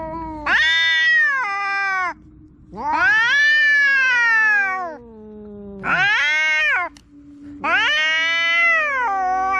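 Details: Kitten or young cat making loud, drawn-out meows, four long harmonic calls each lasting one to two seconds, rising then slowly falling, separated by short pauses, with a low background hum.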